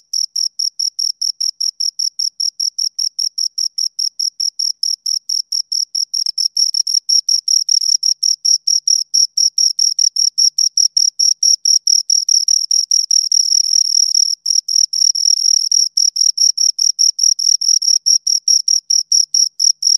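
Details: A long, unbroken run of fast, regular high-pitched chirps from two crickets, growing slightly louder after about six seconds, each pulse crisp and evenly spaced over twenty seconds.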